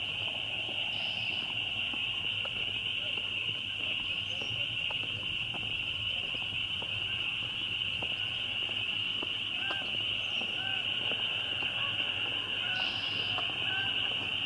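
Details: A really loud group of spring peepers producing a steady, intense high-pitched shrilling chorus without pause, faint brief lower chirps occasionally showing beneath it.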